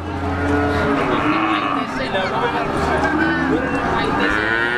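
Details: A PO Jawa feeder bull at Siyono Harjo livestock market, Gunung Kidul, Yogyakarta, Indonesia, gives a softer, wavering low moo that is partly blurred by market chatter and a low engine drone.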